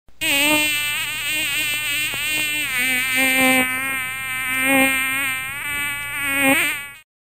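A mosquito whines close by, a steady high buzz that wavers in pitch as it moves.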